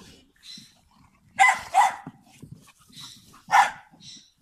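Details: Standard Bull Terrier and American Bulldog together, one dog giving loud, sharp barks: a double bark in the middle, then another single bark a couple of seconds later, with quieter softer sounds between them.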